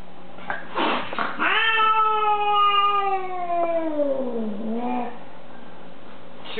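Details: Female house cat, being cat-sat, yowling in hostility at a visitor she dislikes: a long drawn-out wail sliding slowly downward over about three seconds, then a brief lower moan, with a short vocal burst before it, indoors.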